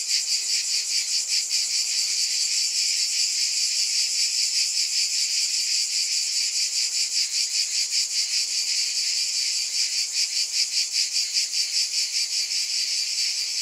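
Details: Buzzing cicadas fill the air with a bright, shimmering drone that throbs in quick regular beats, steady throughout with nothing else audible.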